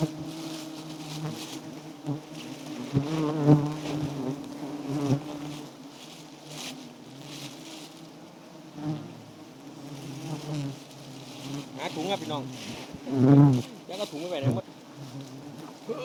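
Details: Giant honey bees at a small wild nest, a loud low humming drone with wavering pitch, swelling and fading as individual bees fly close, with brief louder bursts and clicking contacts.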